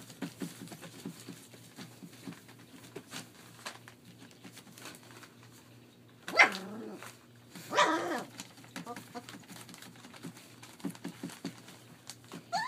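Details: German Shepherd puppies 21 days old at play in a Mayo, Florida kennel; light pattering and scuffling, then two short, rough yelping barks a second or so apart, followed by faint squeaks.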